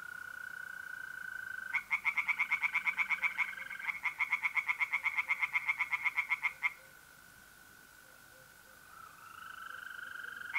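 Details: North-East Italian pond at night in mid-April: tree frogs burst into two fast runs of loud, clicking croaks, then fall silent, leaving the continuous high, ringing trill of mole crickets alone.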